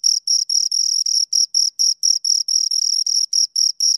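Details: High-pitched stridulation from two crickets, chirps of varying length separated by short silent gaps, about two to three per second, heard close and clear.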